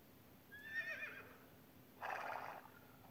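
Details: Horse, presented as a real animal sound, giving a short whinny: a wavering, descending neigh with harmonic bands, followed by a second broad, loud burst about a second later.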